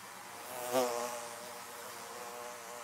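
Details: Bees around beehives: one bee zips close past the listener early on, a brief loud buzz that fades into a sustained, many-toned droning hum lasting the rest of the clip.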